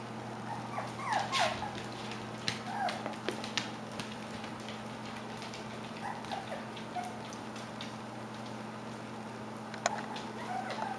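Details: Klee Kai / Shiba Inu puppies, just over five weeks old, whimpering indoors: faint, thin, high whines that bend up and down, each brief, scattered every one to three seconds over a steady low electrical hum and light shuffling.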